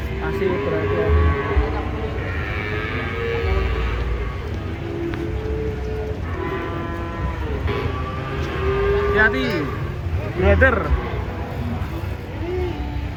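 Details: Giant cattle being unloaded from a truck low in long, drawn-out harmonic moos that overlap and recur through the scene, over a steady background of crowd chatter and engine rumble.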